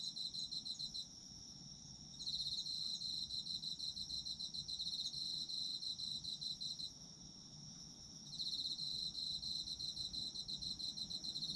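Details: Autumn insects at night-time pace: a steady shrill ringing background, joined around two seconds in by a loud rapid pulsed trill that stops near seven seconds and resumes about a second and a half later.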